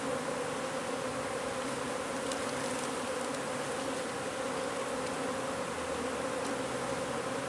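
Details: Honey bee colony nesting under a wood pile on a property in McAllen, Texas, disturbed during hive removal and relocation: a dense, unbroken droning hum holding steady at one pitch throughout, with a faint hiss above.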